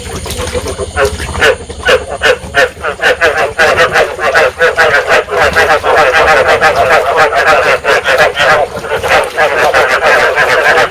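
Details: Dense chorus of Vietnamese rice field frogs, calls meant to stimulate breeding and draw frogs to a trap; rapid, rattling croaks stack and overlap throughout, growing steadier and louder in the second half.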